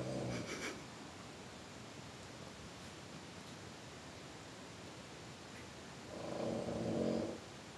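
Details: {'caption': 'GreatGrandPa the cat gives a faint low purr at the start, then near silence, then a second steady rumbling purr bout of about a second near the end.'}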